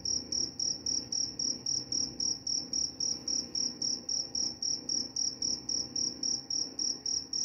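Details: Cricket producing a continuous series of sharp, high, ringing chirps, close to four per second and about twenty-eight in total, against a faint low hum.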